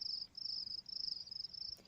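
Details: A cricket chirping in a recording of nature sounds: a high, thin, steady trill broken into short pulsing bursts, with a brief pause near the start.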